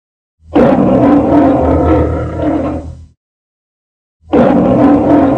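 A lion gives a deep, rasping roar lasting nearly three seconds, then begins another after a pause.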